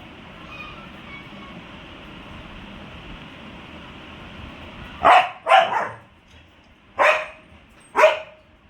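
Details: Roxy, a male pet dog, reacting to a cat that has come outside. Steady low background hum at first, then four loud, abrupt barks: two close together, then two more spaced about a second apart.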